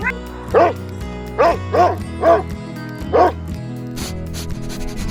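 A dog gives five or six short, sharp barks at irregular intervals of about a second, over a steady background of music.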